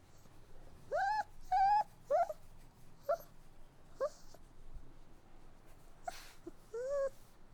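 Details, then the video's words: Crying puppies give a series of high whimpers, the first few longer and rising, then short clipped whines spaced about a second apart, followed by a faint rustle and one last rising whine. "Cute Puppy Crying Sounds | Dogs Whining"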